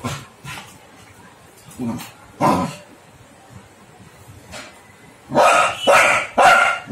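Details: Labrador Retriever puppy reacting strangely after seeing an All Out mosquito repellent device, giving short sharp barks, a few scattered early on, then three loud barks in quick succession near the end, over a quiet indoor background.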